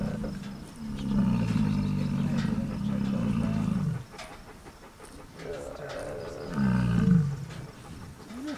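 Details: Large male American bison grunting with tongue out to show dominance; a long, deep, rumbling grunt lasting about three seconds, then a shorter second grunt, with a person talking quietly in between.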